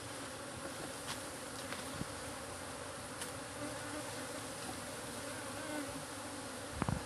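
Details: Honey bees swarm close to a man taking a bee-sting challenge without a jacket while eating; continuous thick buzzing drone with a few faint taps and a brief knock near the end.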